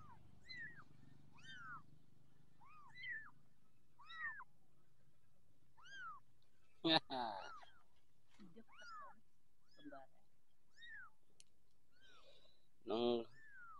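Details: Young orange Persian kittens mewing repeatedly, short arched high-pitched cries every second or so, with a person talking and two loud clattering bursts partway through.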